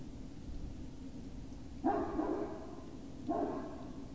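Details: Great Dane puppies at Puppy Hill, recorded on 19 February 2019 in the evening: two short, tonal whining yelps with steady harmonics, about a second and a half apart, over a constant low background hum.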